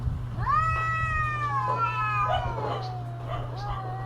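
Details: During mating season a cat lets out one long wail that rises, holds, then slides slowly downward, joined by a second weaker wavering voice, with a low steady hum in the background.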